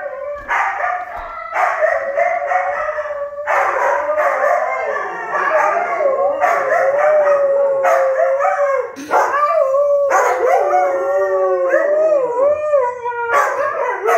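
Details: Several Siberian huskies howling together as a pet 'husky choir', loud sustained wavering howls around a steady mid pitch with sliding rises and falls, overlapping voices forming chorus-like layers, brief yips and breaks between phrases throughout.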